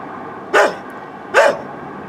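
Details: A neighbour's old dog barks twice, the short, harsh barks coming under a second apart over faint background noise. Recorded on a Canon Vixia HF R800 camcorder.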